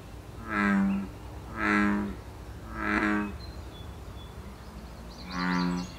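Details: Wild American bullfrog in Canada during breeding season: three deep, resonant, harmonic croaks about one second apart, a pause, then a fourth croak; faint high bird chirps in the background.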